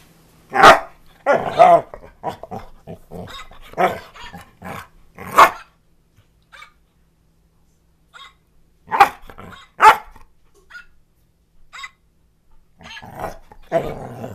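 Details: Tucker, a pet dog, plays with a puppet he has owned since he was little and gently talks back to it: short sharp barks and rough growly vocalizations in bursts, with quiet gaps between.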